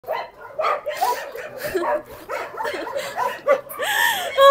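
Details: Many dogs at a rescue shelter bark and yelp over one another in a dense, continuous chorus of sharp yips and rising whines, with a louder high-pitched bark near the end.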